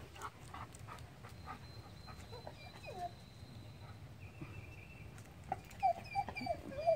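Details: Lola, a dog playing with a squirrel outdoors, gives short high whines and whimpers, clustered near the end, while a person calmly tells her to be nice and stand; faint birdsong and background hum.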